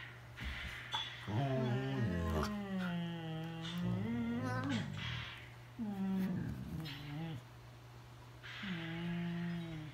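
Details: Siberian Huskies talking to each other, screaming: several long, wavering, yodel-like howls with sliding pitch rise and fall in bursts of one to two seconds, separated by short pauses, over a steady low background hum.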